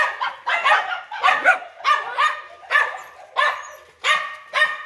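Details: Big-bellied dog barking roughly nine times in under five seconds, loud raspy barks in quick succession, spacing slightly uneven, the dog calling continuously.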